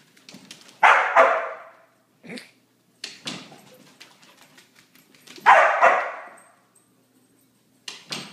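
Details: Border Collie after three days of rain: two loud, harsh bark bursts about four seconds apart, with scattered softer yips and thumps between them in an otherwise quiet indoor space.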